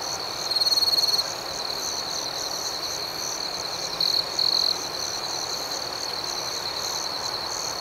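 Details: Crickets singing at night, a long loud pulsing trill at the start above a constant shrill background chorus, with two shorter trill bursts repeated a few seconds later.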